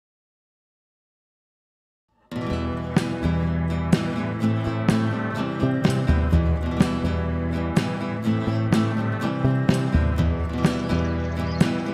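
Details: Two seconds of silence, then strummed acoustic guitar music with regular plucked chords and no animal sounds.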